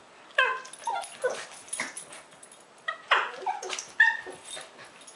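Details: Two Lhasa Apsos play fighting: a run of short, high, whiny yips and squeals with clear harmonic tones, several quick yelps close together, then scattered bursts with brief pauses between.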